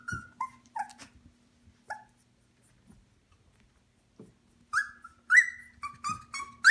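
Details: Eighteen-day-old Shikoku puppy, eyes newly open and starting to toddle, giving short high squeaky whimpers, some bending downward, in scattered bursts with a quiet gap midway, then a louder cluster of rising-falling whines at the end.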